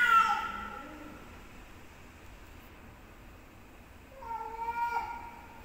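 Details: Cats fighting, one giving a loud strained yowl at the start, then a pause before a second wavering, moaning howl a few seconds later.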